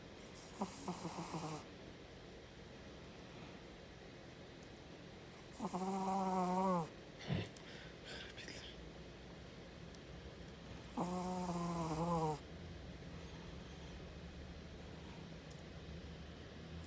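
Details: A Chihuahua snoring, with three long, whistly, nasal snores about five seconds apart, each a droning buzz with a hissy edge, separated by quiet breathing against a low, steady background.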